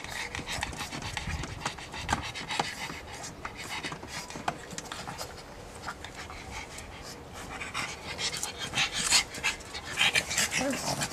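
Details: Steady fast panting from a pug, airy rasping breaths about three per second, growing louder and harsher near the end; soft speech faintly behind.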